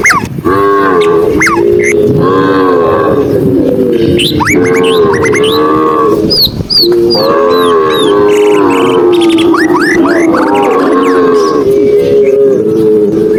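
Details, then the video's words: Tame cows walking while being herded on a sunny afternoon in the countryside: long, overlapping lowing moos that continue almost without a break, with short bright bird chirps above. "cow sound cow Moo"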